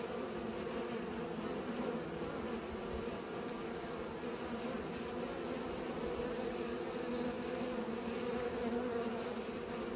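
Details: Bees busy pollinating make a constant droning buzz, steady in pitch, swelling a little now and then.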